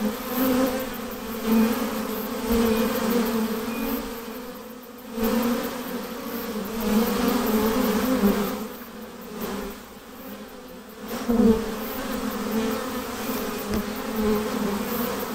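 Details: Honey bees swarming as they are hived, a steady layered hum throughout with rhythmic swells and short dips in loudness.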